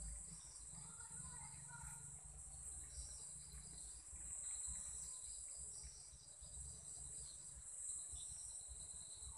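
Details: Insects in Sri Lanka keep up a steady, high, shimmering chirping trill at about 7:00 pm at dusk, with a low rumble underneath.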